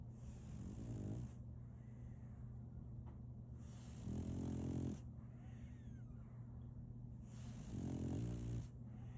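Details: Solaimy, a female French Bulldog puppy, snoring while asleep: three rasping, buzzy snores with layered low harmonics, spaced about every three and a half seconds, with hissy breathing between them over a steady low hum.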